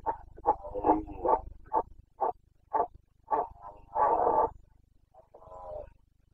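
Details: Carpathian red deer stag in rut, Bucovina, Romania, breeding season 2022: a rapid series of short, gruff grunting roars, then one drawn-out loud bellow and a fainter trailing groan, over a low steady hum.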